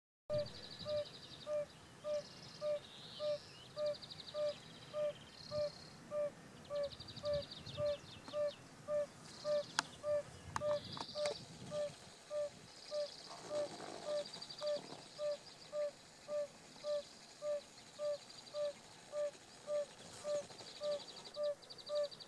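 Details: A male yellow-bellied toad sings in southern Vienne, France, on 19 April 2018, giving soft, mellow 'oop' notes steadily repeated nearly twice a second.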